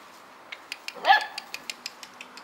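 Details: A single abrupt bark from Djip, the Korthals Griffon mother with a litter at day 56, breaks through a steady series of light clicks spaced about every fifth of a second.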